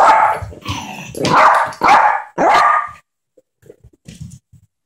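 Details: Yorkshire terrier at play with a baby, a rapid run of four loud, harsh barks over three seconds, followed by quiet soft household noises.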